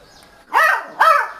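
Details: A Beagle puppy named in the video, 50 days old and barking for the first time, lets out two short, high-pitched barks about half a second apart. Each is a thin yelp that climbs then drops, closer to a yip than a deep woof.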